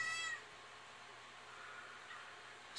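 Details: Kitten meowing in the background indoors beside an aquarium: one short bright harmonic meow at the start, then steady tank hum and faint water noise.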